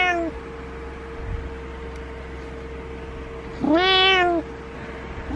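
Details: A single long, loud cat meow that rises then falls, preceded by the tail of another call, with a steady electrical hum beneath.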